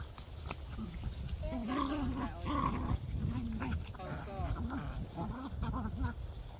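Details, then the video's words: Jack Russell Terrier puppies, recorded 18 March 2024, making low rumbling growls with wavering whiny overtones in repeated short bouts; a person's voice and background clatter are also heard. "Jack Russell puppies"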